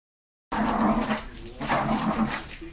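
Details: A Cairn Terrier shakes its big mouse toy while watching people walk past its territory, giving rough, growling barks and whines to guard it.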